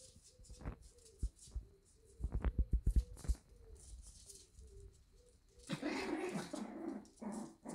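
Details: Shiba Inu puppies at a Dutch breeder in the morning: thin steady whines repeat, then a burst of sharp clicks and taps, and a noisy cluster of yelping and whimpering in the last two seconds.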